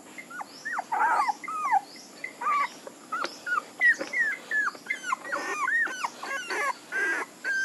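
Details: Puppies whine and yelp in a steady chorus of short rising and falling squeals, several voices overlapping, with a few breathy, noisier cries among them.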